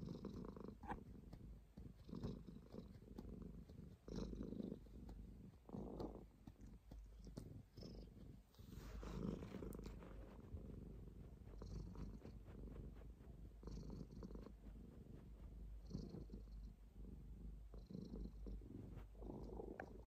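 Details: Domestic cat purring close up, a soft low rumble that swells and fades in steady breathing cycles about every one and a half seconds, with faint rustling and no other voices.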